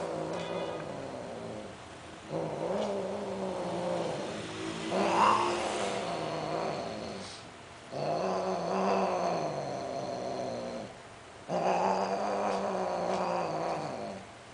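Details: Domestic cats, a Greek short hair and a Siamese, both sterilized, mating: long low droning yowls in four rounds, slightly wavering pitch, separated by brief quiet pauses.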